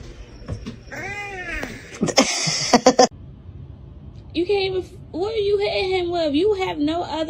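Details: Pet cat in a funny-cats compilation: a short arched meow, then a long wavering, whining yowl that rises and dips in pitch, with people's voices talking over it indoors.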